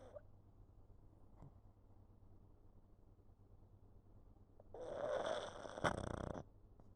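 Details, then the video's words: Pug asleep on a lap, filmed on 11 November 2022, snoring: quiet steady breathing, then one loud rasping snore lasting nearly two seconds, rough and buzzy, before fading back to soft breaths. "Pug sleeping and snoring on my lap"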